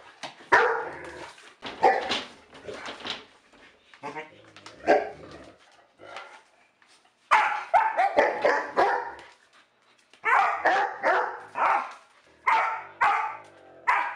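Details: Repeated loud dog barks come in rapid bursts of two to four, separated by short quiet spells, with a person's voice audible between some volleys in a small room.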